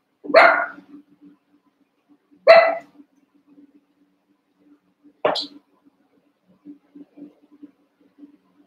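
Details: Eight Cavalier King Charles Spaniel puppies about a month old romp and wrestle in a pen; three short, high barks come roughly two to three seconds apart, then light scuffling and pawing noises.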